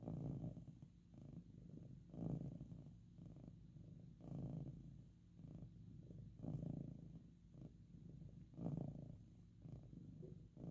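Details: Loud purr of a domestic cat resting or getting pets: deep, buzzing rumble with rhythmic rises and falls roughly every two seconds, no other sounds.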